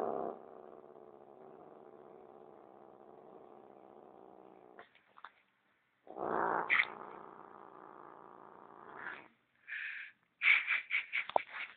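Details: Gigi, a pet cat going wild over her sock, growls in a long steady rumbling drone for about five seconds. After a pause a second growl rises, then sharper yowling bursts and clattery play noises follow.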